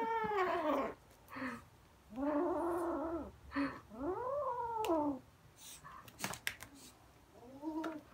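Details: Kittens excited by a fluffy toy growl as they run around with it; four arched, moaning growls, each about a second long, separated by quieter pauses with scattered clicks.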